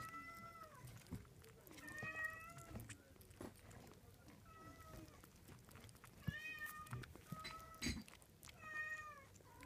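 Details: Thirty-seven-day-old Munchkin kitten mewing indoors: high, quavering meows about every two seconds, some short and some drawn out, over low room noise with a few knocks and faint voices.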